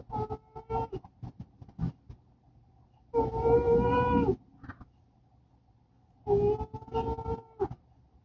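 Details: Poopy, a female cat, snoring while she sleeps. Whistling, tonal snores last about a second each and come roughly every three seconds over a low rumble. Faint breathy clicks sound in between.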